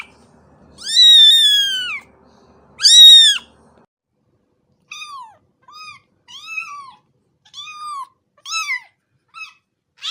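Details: Two long, loud, falling kitten cries open, followed by a run of quieter, shorter high mews at irregular intervals.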